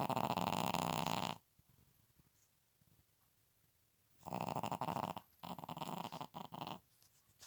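A Pekingese snores in loud, rasping bursts separated by quiet pauses.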